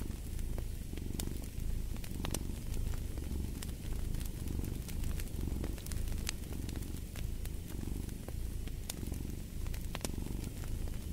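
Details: Domestic cat purring for sleep and relaxation beside a fireplace: a deep, steady low rumble swelling and fading in breath cycles about once a second, with sharp fire crackles and pops scattered throughout.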